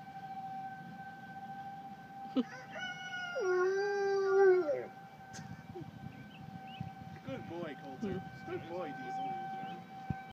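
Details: A dog, one of the pair Colter and Diesel, gives one drawn-out howl with a falling end in response to tornado sirens. Softer wavering yelps follow over a steady siren tone.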